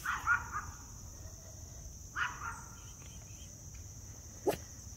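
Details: A Miniature Poodle, talking with his friend before heading out, makes two soft, muffled barks about two seconds apart, followed by a brief click, over a steady high whine and low background hum.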